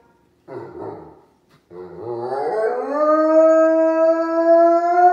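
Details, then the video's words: A wolf howling: a brief rough, breathy burst, a short pause, then a voice that climbs and settles into a long, clear, steady tone held to the end, with no other sounds. "Wolf Howl"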